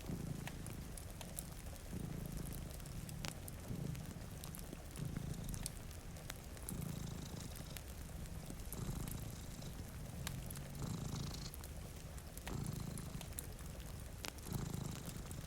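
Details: Two cats sleeping before a rainy window purr in a low, steady rumble that swells and fades with each breath, about every one and a half to two seconds, over rain patter and the crackle of a fireplace.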